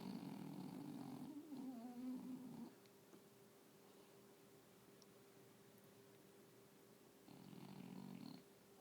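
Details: English bulldog snoring: a low rattling, buzzy rasp on each breath, one long snore at the start and another near the end, with quiet breathing and a steady faint hum between.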